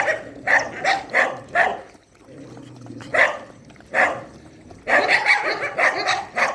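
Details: Shelter dogs at night feeding time: sharp, loud barks in quick bursts, four in a row, then scattered single barks, and a dense overlapping run of barking over the final two seconds.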